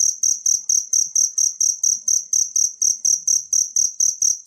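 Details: A wild cricket, used as master audio for songbirds, chirps in bright, piercing pulses at roughly four per second, each chirp short and evenly spaced, over a quiet background with faint low thuds.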